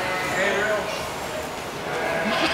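A goat gives a long, wavering, nasal bleat with human voices nearby.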